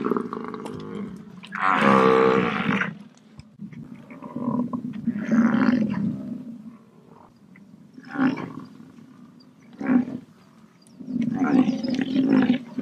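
An American bison gives deep, rough bellows in several drawn-out bursts separated by short pauses.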